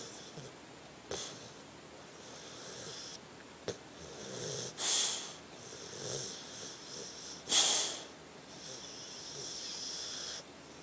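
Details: Sleeping dog named Tucker snoring, with slow swelling breaths that rise and fall in rasping waves, punctuated by a couple of sharper hissing snorts and faint clicks between them.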